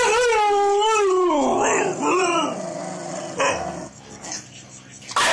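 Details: Siberian husky howling from a safe distance, joining in while another dog fights a toilet roll: a long wavering howl sliding downward, then a shorter rising-falling howl, followed by rustling and thumping.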